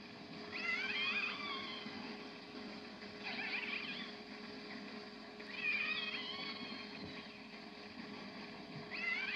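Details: Snapping shrimp bank recorded on French Navy submarine sonar: a dense, steady underwater crackle like frying fat with a low mechanical hum, a sound heard very regularly on patrol that hampers listening for other noises.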